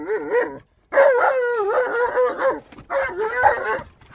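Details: Tonka, an Alaskan Malamute worked up inside a car at a park, howls and yowls almost without pause, wavering rising-and-falling tones with rich harmonics, a brief gap, then another long wobbling howl.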